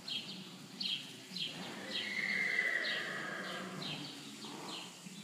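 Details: Quarter Horse named Cisco from Larson Quarter Horses, giving a drawn-out, slightly wavering whinny in the middle of the clip, set against a run of short, regular, higher-pitched sounds and a low steady background rumble.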